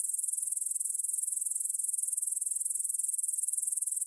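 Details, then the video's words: High, rhythmic buzzing of grasshoppers at 9pm on 6 September 2020 near the Svensky monastery field in Bryansk, Russia, captured in stereo with a Tascam DR-44WL; regular shrill pulses repeat about three or four times each second. "Grasshopper Sounds in the Field"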